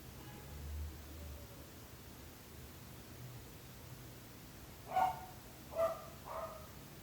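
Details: Barking dog kept by a neighbour: several seconds of low humming background, then three abrupt barks in a tight burst near the end, the last one softer.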